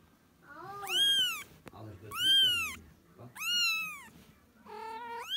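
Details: Kitten meows used to call a cat to come: four loud, drawn-out, high meows, each arching up then falling, roughly one every second and a quarter, the last one rising sharply at the end.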